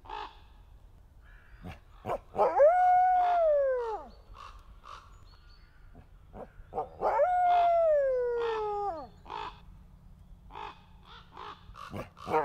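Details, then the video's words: A captive male red wolf of an endangered species, at a conservation centre in South Salem, New York, gives two long, mournful howls that hold steady and then slide downward. "Endangered Red Wolf Howls"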